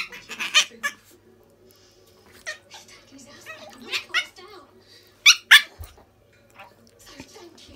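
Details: Tiny Chihuahua Dolly holding her own in play with Missy the Border Collie indoors: clusters of shrill, harsh shrieks, two especially loud back-to-back near the end, with human chatter and laughter in the background.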